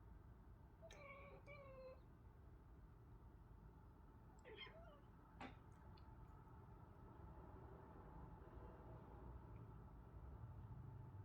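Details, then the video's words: Pet cat, one of a household pair (ginger male, tortoiseshell female), making odd sounds: two short chirping meows in quick succession, then a pause and another brief twisted chirp with a click, over steady low room hum. "Cat making weird sounds"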